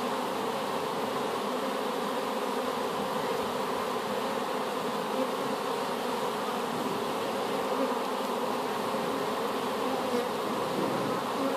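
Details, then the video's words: Honey bees from a swarm collected in an apple tree and just put into a hive, producing a steady, dense droning hum with layered low tones and no pauses throughout. "Just Bees"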